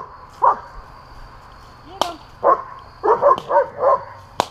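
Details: Two German Shepherds playing with balloons give a short bark, then a quick run of four or five mid-pitched barks near the end, broken by sharp cracking pops.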